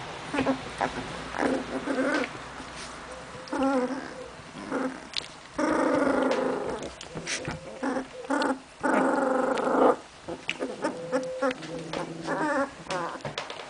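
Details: Memphis-true Olga and Scarko de la Betoule puppies playing, trading steady rumbling growls and high yelps, with two long sustained growl-whines in the middle and quick repeated yips around them.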